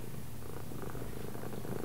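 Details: Pet cat giving a constant, deep purr, a soft vibrating drone that holds even throughout the short stretch.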